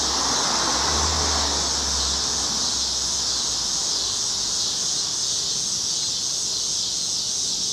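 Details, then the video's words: Evening cicada chorus on a Chicago street, cloudy August 2010, a steady shrill buzz overlaid at first by a low vehicle rumble and broad traffic noise that fades after a few seconds. "Chicago Summer 2010 Cicadas - Evening"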